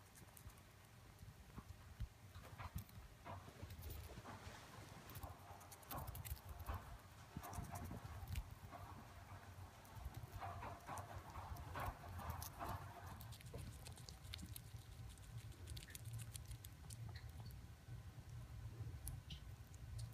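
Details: Pet chipmunks gnawing on corn during corn season, recorded up close: continuous crisp crunching and rapid clicking bites throughout, with louder bursts of crunching midway and a low background hum.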